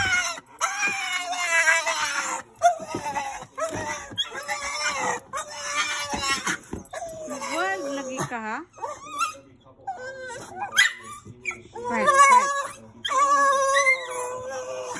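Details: Rat Terrier in a kennel, put there to settle down while someone is downstairs, gives long, sustained, wavering whines and yelps that bend up and down over many seconds, overlapping with human talk in a small room.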